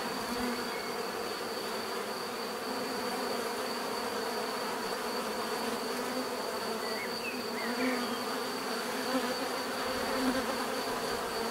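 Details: Steady collective buzzing of bees, a deep continuous hum with a thin high whine on top, growing slightly louder toward the end, and a few faint chirps midway.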